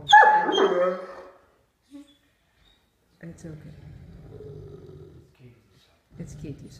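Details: A female Great Dane eating dinner in her favourite chair gives a low, rumbling growl to warn off her brother, another dog wanting to share, while a person talks.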